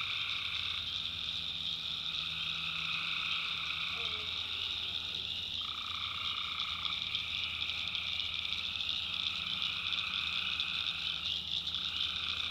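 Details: Nighttime tree frog chorus from a North Carolina backwoods swamp, recorded by the maker: steady shrill drone overhead, while a lower band drops out and returns in pitch shifts, with a brief soft call near the middle.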